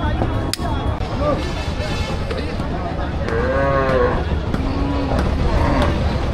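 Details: Cattle at the largest Qurbani cattle market in Parulia, Satkhira, Bangladesh, the week before Eid al-Adha 2025. One drawn-out, arching moo rises and falls midway, set against constant crowd chatter and general market bustle.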